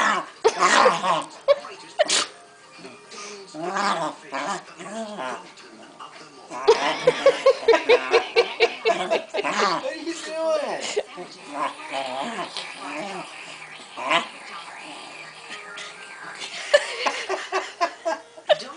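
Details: Pancake, a beloved female pet Keeshond, throws a royal superfit: a run of warbling, rising-and-falling grumbles and yowls, some sharp, over people talking and laughing, with bits of music in the background.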